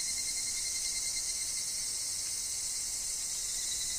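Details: Higurashi (evening cicada) calling in a wooded forest with wind and falling leaves: a dense, continuous shrill chorus of high buzzing pulses, with a steady thin lower whine running beneath throughout.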